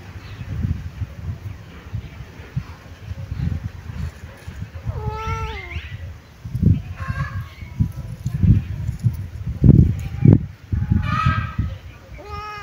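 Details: Kitten sunbathing and cleaning itself, letting out several short descending meows spread through the recording amid heavy low rustling and thumping handling noise.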